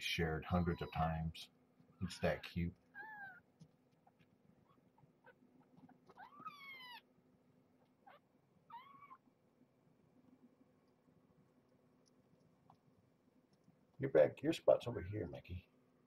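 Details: Young kittens of Marge, a stray mother taken in while pregnant, handled indoors at a weigh-in session: several thin, high mews that rise then fall, spaced a few seconds apart, with a person talking at the start and end.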